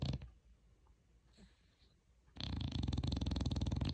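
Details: Sleeping pet dog indoors; after a near-silent start, a coarse, pulsing, throaty snore begins about midway and continues to the end.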